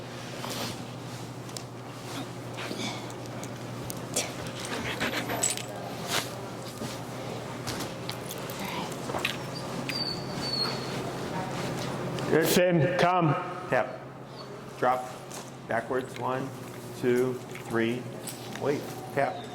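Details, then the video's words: Finn, an extremely vocal dog in recall training with an e-collar in Chicago, gives a burst of short, tonal, whining cries. Jangling and a man's voice come first, then the cries repeat roughly twice a second toward the end. "Working An Extremely Vocal Dog"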